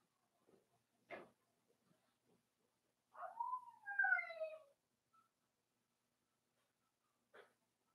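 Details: Blenheim Cavalier King Charles Spaniel puppies, one of a litter of five born at New Year's to Paris and Spike, in a puppy pen indoors; one drawn-out tonal whine slides downward for about a second and a half, framed by a few soft clicks and taps.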